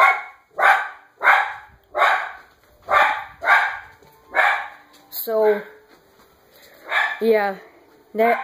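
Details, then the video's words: Female pet dog barking at people she sees outside, a run of rough barks about every half second, followed by high whining yelps mixed with a person's voice toward the end. "The Toxic Kid's Dog barks like crazy"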